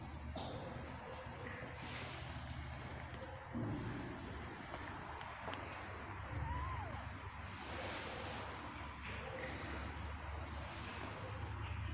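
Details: Steady low rumble and broadband room noise with faint indistinct sounds and no clear animal voice.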